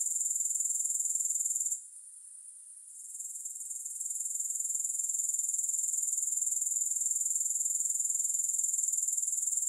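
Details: Grasshopper chorus: a shrill, finely pulsed high trill that drops out for about a second near the start, then returns and holds steady; nothing else audible.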